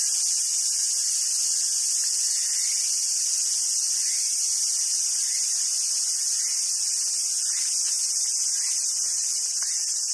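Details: Summer cicada chorus at a monkey park on Awaji Island, Hyogo, Japan: a dense, unbroken high hiss throughout, with faint short rising squeals underneath every second or so.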